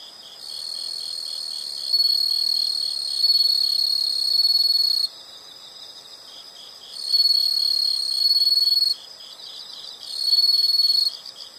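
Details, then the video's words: Insects calling in a natural setting: loud, high, shrill buzzing trills in long bursts of one to three seconds, broken by quieter gaps where a softer pulsing chorus continues underneath. "the sound of insects"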